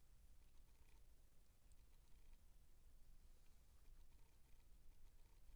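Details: Purring from 19-day-old Siamese kittens, a quiet continuous low drone holding evenly throughout, with light rustling and patter above it.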